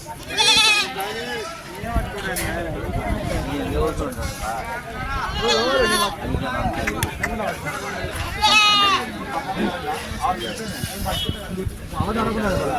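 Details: Sheep among goats for sale at the Chilpur Gutta village market: several loud, wavering, quavering bleats rise at intervals over constant crowd chatter and nearby talking.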